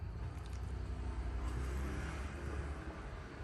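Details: Low rumbling traffic noise fills the recording, with no animal voices.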